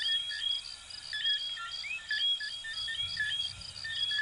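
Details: Many coquí frogs, Venezuelan and Puerto Rican, calling together: crisp piping notes and quick rising chirps repeated about once a second per caller, layered over a constant high insect hum and soft low noise.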